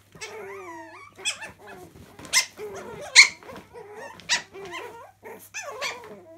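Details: Chihuahua puppies playing indoors in a laundry room: a run of squeaky, whining yips and short growly barks, many with wavering or rising pitch, in bursts about a second apart with brief louder sharp yelps.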